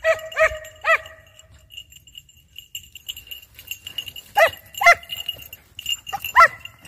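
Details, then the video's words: Hare-hunting dogs on the scent, a few sharp yelping barks at the start, then a quiet stretch with a faint tone, then more widely spaced yelps near the end. "Caccia alla lepre SCOVO LEPRE IN VISTA 2 VOLTE"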